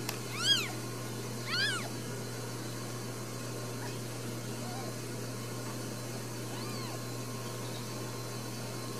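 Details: Newborn Ragdoll kittens, four brand new babies, at a home cattery in central Kansas, with no cages. Two high, arched mews early on, then only faint mewing against a steady low hum.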